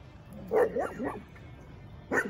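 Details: Female Bull Terrier named Chispa, one of an energetic mother-and-daughter pair, gives short whiny yelping vocalizations, two rising-falling bursts near the start and a third after a pause, while a person talks to her.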